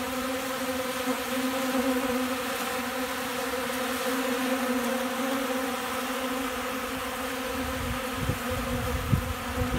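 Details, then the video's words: Honey bees, hungry and eating from a person's hand, fill the air with a constant droning buzz; the hum stays level throughout, with a few soft knocks and handling noises near the end. "Hungry Bees"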